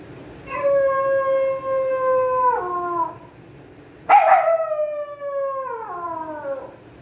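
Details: Pomeranian dog howling: two long, clear, tonal howls, each holding steady then dropping in pitch at the end, separated by a short break and a sharp rough onset.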